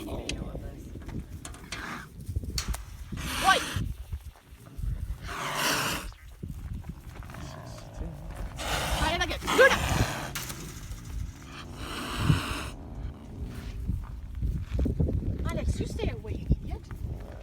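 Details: Fighting caracals, Alex and Luna, hissing while being fed: short, explosive breathy hisses burst out about every three seconds over steady human chatter and low rustling.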